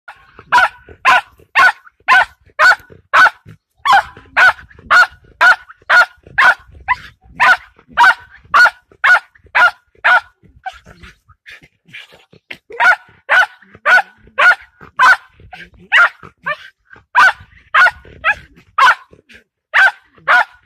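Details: Patterdale terrier confronting a fox, barking loudly and sharply at a steady pace of about two barks a second, with brief pauses.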